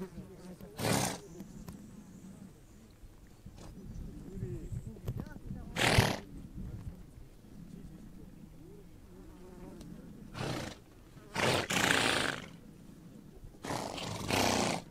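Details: Horses on the Mongolian steppe snort and blow in short, loud, breathy bursts, five of them spread over about fifteen seconds, with a low rumbling murmur and a faint high hiss between them.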